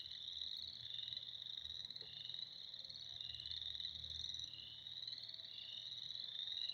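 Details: Spring frog chorus: many frogs calling together in a dense, continuous high trilling band that wavers slightly in pitch and never pauses, with no other clear sounds.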